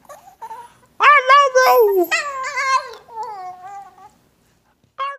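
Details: A female Shih Tzu gives a drawn-out, wavering howl-like vocalization that rises and falls in pitch. She mimics "I love you" after her owner says it.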